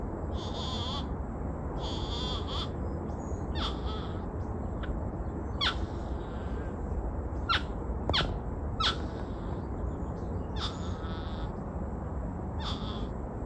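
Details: Pair of porcupines calling to each other in riverside bosque by the Rio Grande; short high whines in several bursts plus scattered sharp clicking squeaks, with constant low rushing background noise.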